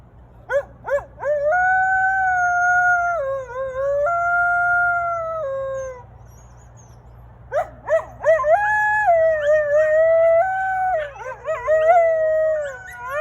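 A coyote gives long, wavering howls broken by short yips and quavering rises.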